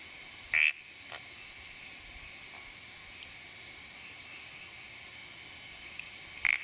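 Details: Night recording from Gunung Jerai, Kedah, Malaysia, around 800 m, of an Odorrana frog (O. hosii or O. monjerai): two loud, short chirping calls at the start and end, separated by a steady insect drone.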